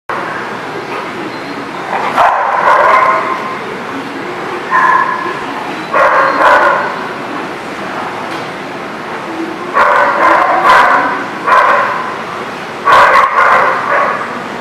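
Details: Dogs at The Barking Lot, recorded 11/1/19, giving bursts of loud, raspy barks in clusters separated by quieter gaps, with several dogs seeming to overlap.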